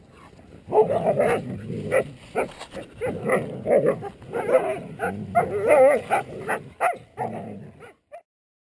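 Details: Siberian Huskies Elaskan, the black one, and his sister Erin, aged three, in wild play in their enclosure: a dense run of growling, grumbling and barking bursts with yips, almost continuous for about seven seconds before stopping abruptly.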